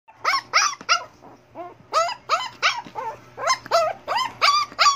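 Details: Liver-coloured Shih Tzu whining because it wants to go outside: a rapid run of about a dozen high, harmonic whimpering yelps, each bending up then down, packed into a few seconds over a faint steady low hum.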